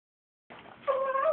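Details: Chihuahuas excited at the prospect of going to see their grandma: after a soft indoor rustle comes one short, steady, high-pitched whine with a clear tonal ring, lasting about half a second.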